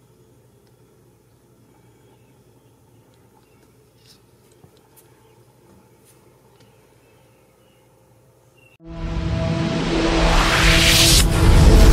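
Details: A near-silent room with a faint hum gives way abruptly to loud, swelling music at about nine seconds, and no animal voices are heard.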